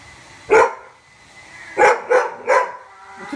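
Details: Male dog barking at his bone indoors: one sharp, loud bark, then after a pause a quick cluster of three more barks, with faint room hiss between them.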